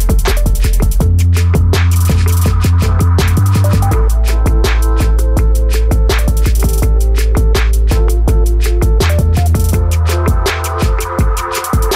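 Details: Loud electronic drum and bass music with heavy beats fills the whole stretch, no animal voice heard.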